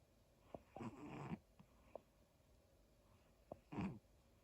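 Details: Daifuku the dog snoring while asleep: two raspy, breathy snores about three seconds apart, the first stretched over half a second, with soft clicks between them and a steady faint hiss behind.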